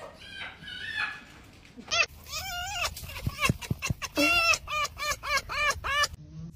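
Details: Fox giving a fast run of high, arched, harmonic yelps, many repeated in quick bursts after a short softer opening call; a sharp squeal and a few clicks mixed in, with a faint low rumble underneath.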